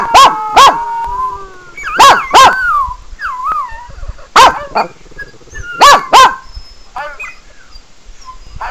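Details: Sebastian, a Pekingese, gets worked up while animal whining videos play on a laptop. He gives sharp yappy barks in pairs, roughly every two seconds, with thin wavering whine-like tones sliding between the bursts.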